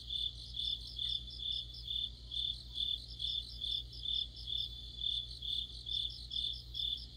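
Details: In the middle of autumn, crickets and companion insects form a chorus: evenly repeated high chirps, a little over two per second, layered with a fainter continuous buzz and a quiet low hum.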